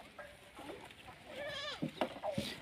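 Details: Male Kota goat on a Rajasthan goat farm: a soft, tremulous bleat that wavers up and down mid-clip, then a few sharp knocks and clicks.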